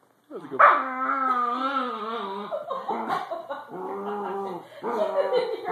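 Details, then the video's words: Cranky corgi grumbling after being told to get off the bed: a long, drawn-out moaning whine that sags slightly in pitch, followed by shorter throaty complaints, while a woman talks over it. "Cranky Corgi!"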